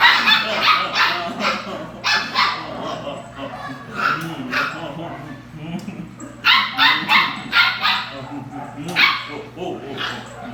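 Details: Belgian Malinois puppies playing, yapping in clustered bursts of high barks and yips that repeat several times a second, with human speech and a constant low hum in the background.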